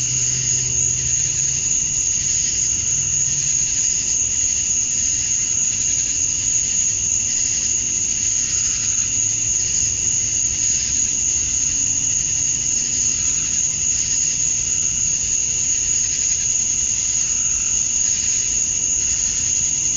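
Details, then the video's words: Male cicadas chirping to attract females at summer dusk in Georgia, USA: a dense, unbroken high buzz with a sharp steady tone on top and fainter shimmering bands below, plus low rumbling background noise. "Cicadas at Dusk, Summer Night"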